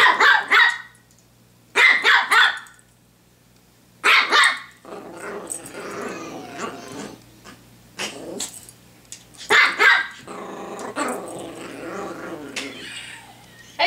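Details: Pomeranian named Honey, playing with a hair clip: short, sharp, high-pitched barks in quick pairs and bursts, separated by scratchy, growling rustles and shuffling, with a brief quiet gap early on.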